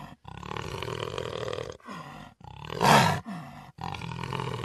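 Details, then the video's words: A jaguar's gravelly roar runs long and even, dips into a lower grunt, rises to one loud rough peak, then continues as a steady harmonic growl. "Jaguar Roaring"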